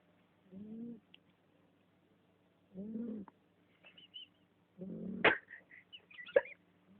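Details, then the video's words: Female house cat Susi snoring, three low, rough, harmonic breaths spaced about two seconds apart, followed by soft chirpy noises and quiet voices. "Gatinha roncando."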